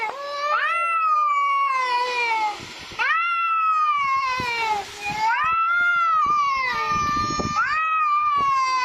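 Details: A housecat gives a run of chatty meows, each sharply rising then gliding down, about four in nine seconds, with bursts of rustling and background noise between calls.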